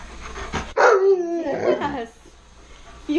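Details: Tonka the Alaskan Malamute begs for french toast with a loud, drawn-out talking howl. It starts high, slides down, then warbles over about a second. Quiet room noise and a faint voice come before it.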